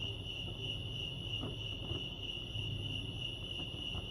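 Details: Chorus of crickets at Lake Arrowhead, California, outdoors: one continuous high-pitched pulsing chirr holds unchanged throughout, layered over a soft, deep background hum.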